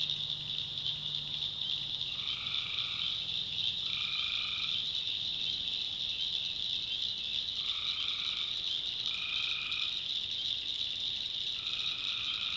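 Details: Tree frogs in a North Carolina swamp after dark give brief buzzy calls in pairs, repeating every couple of seconds after a quiet middle stretch, with a high continuous insect or frog drone throughout.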